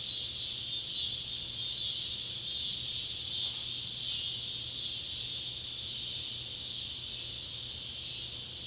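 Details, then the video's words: Neotibicen pruinosus and Neotibicen tibicen cicadas drone in a steady, high, buzzing chorus that barely changes in loudness at sunset by an old tobacco barn, Ballard County, Kentucky, July 31, 2013. "Kentucky barn with sunset light and cicada sounds"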